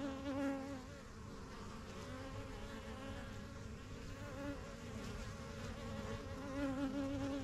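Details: At a backyard hive started in spring 2023, honey bees fly in and out of the yellow box, the strongest colony. A constant busy hum with clear higher tones passing by, louder at the start and end, fills the clip.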